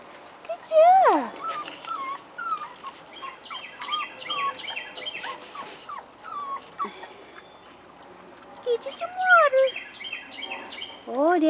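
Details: Rottweiler puppies aged 4.5 weeks, outside for the first time, whine in swooping high cries scattered through the clip, mixed with many short chirping bird notes and a woman's voice encouraging them.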